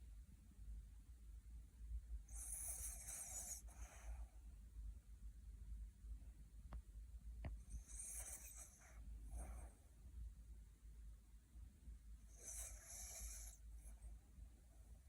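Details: Dreaming puppy deep asleep, snoring, teeth grinding and twitching; three hissing, breathy snores recur roughly every five seconds, with a couple of faint clicks between them and a constant low hum beneath.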